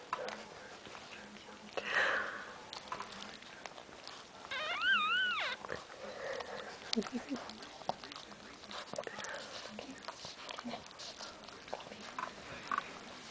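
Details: A newborn female Boston Terrier puppy, the first of five in a litter, weighing about half a pound and born at 4:31, gives thin, wavering, high squeaks amid soft human voices as her calm mother whelps. Boston Terrier (newborn puppy).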